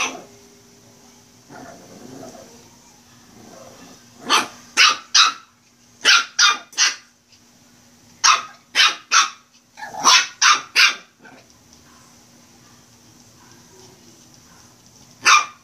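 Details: Playful Shih Tzu puppy giving bursts of quick, shrill barks in pairs and triplets, separated by quiet stretches with faint rustling and a low steady hum, ending with one lone bark.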